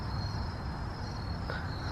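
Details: Cricket apparently caught in a crevice of brick steps, chirping steadily as a thin high continuous trill through the whole stretch, over low background rumble; a cat sits nearby grooming itself.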